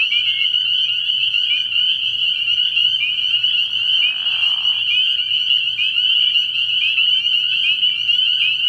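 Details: Spring peepers fill a frog pond at night in early year with a constant shrill piping chorus; around the fourth second a lower, coarse trill rises briefly beneath the high notes, over a soft low hum.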